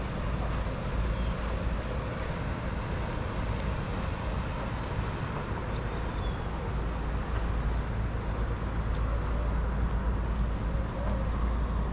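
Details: Steady low roadway rumble of passing vehicles fills the whole stretch, with no animal calls standing out.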